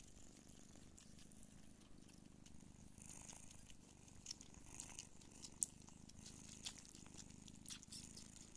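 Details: Don Sphynx mother cat, Pūkė Chalisa, nursing her kittens; a steady low rumbling purr runs throughout, overlaid by scattered soft clicks and suckling ticks, with brief louder taps near the middle.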